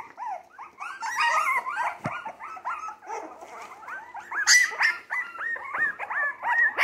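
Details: Several three-week-old Jack Russell Terrier mix puppies, born 12/17/2020, active and already eating like older pups, cry together in a dense overlapping chorus of short high whines and yelps that rise and fall, with one sharp click midway.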